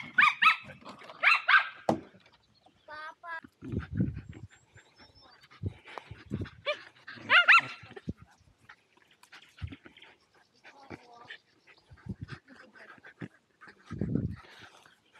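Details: Playful Welsh Terriers Zorro and Zula at Torgo Talu Guesthouse & Farm, Estonia, let out clustered high whining yips at the start and again midway, between low thuds, panting bursts and brief human voices; Insta360 Go2 recording.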